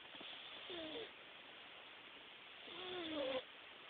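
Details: A Himalayan cat snores during a nap. Two drawn-out nasal snores, each a wavering whistly tone over a breathy hiss, the second longer and swelling louder before it cuts off.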